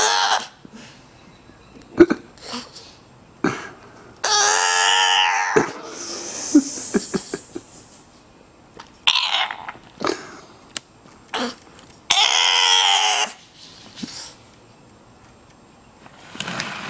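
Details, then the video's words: Male bulldog producing funny sounds: snorts and coughing huffs mixed with a few drawn-out, wavering whines and grumbles, uneven in rhythm. "Bulldog Makes Funny Sounds"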